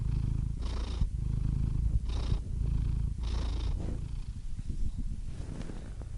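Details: Cat purr, a low continuous rumble with soft airy inhalation bursts about once a second for the first four seconds, then a rougher, more uneven rumble to the end.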